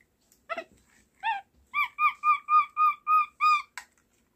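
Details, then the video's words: Pet capuchin monkey named Alexa kept at home, "talking" with its communication sounds indoors: a few rising squeaks, then a fast even run of about eight clear whistled chirps, each slightly arched, ending in a short rasp. ""Разговор" домашнего капуцина Алексы!"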